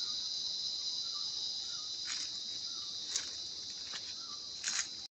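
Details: A continuous high, shrill insect drone holds steady throughout in Sri Lanka's Sinharaja rain forest, with a few brief clicks and rustles.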